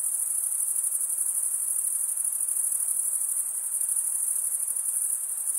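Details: Male crickets stridulate, producing a continuous shrill, high buzzing trill with a slight pulsing shimmer. It holds an even level throughout, with no birds, voices or music.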